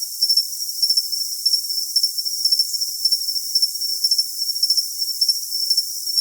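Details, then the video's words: Cricket chirping in a steady high-pitched band, with short bright pulses grouped into bursts about twice a second over a constant shrill hiss; all low sound is removed, so the result is thin and piercing. "Cricket Sound for Tinnitus Masking"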